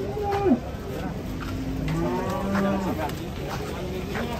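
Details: Cattle are unloaded from a truck in Indonesia. A brief low moo bends downward, then a second steady, quieter low follows, over a constant background rumble.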